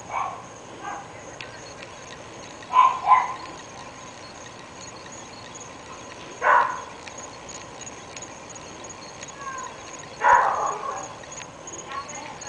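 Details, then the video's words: Three pet dogs in North Bay Village, barking morning, noon and night: a few sharp, distant barks, singly and in a quick pair, spaced several seconds apart over a steady background hiss. "Lorna Loones Annoying Dogs"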